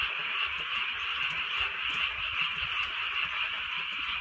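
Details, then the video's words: Many frogs croaking together on a rainy countryside night, a rapid, even, trilling chorus holding a high steady drone, with gentle rain underneath. "개구리 소리"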